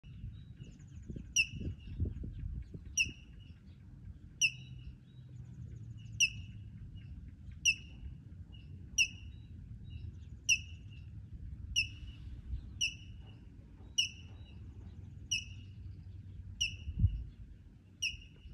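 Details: A mother squirrel at a ranch stands out in the open, singing her morning song: sharp, high chirps repeated steadily about once a second, calling to her young.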